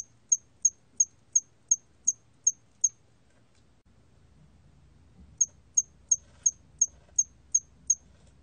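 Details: Hairy cricket (털귀뚜라미) from the National Institute of Biological Resources collection, 2020: high, thin, evenly spaced chirps, about three per second, in two runs of eight separated by a two-second pause, over a faint low rumble.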